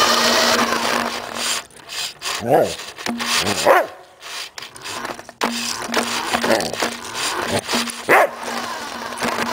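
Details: Samoyed dog named Suka barking while chasing a remote-controlled car for exercise: four short, harmonic barks spaced a second or more apart, over the steady whine of the car's motor, with people talking between.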